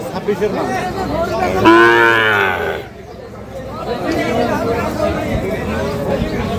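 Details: Sahiwal bull calf mooing at Ambari cattle market, Parbatipur, Dinajpur, 5 May 2025, during buying and selling. One loud, harmonic moo lasting about a second stands out over a background of people talking.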